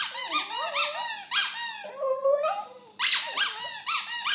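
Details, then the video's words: West Highland White Terrier 'singing' indoors: squeaky, wavering howled notes that rise and fall, with a longer lower drawn-out tone midway before the high wavering yelps return. "Westie singing"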